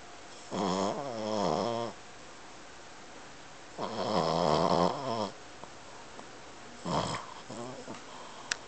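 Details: An 8-month-old Boston Terrier snores, as usual, in long, rattling, harmonic breaths separated by quiet pauses.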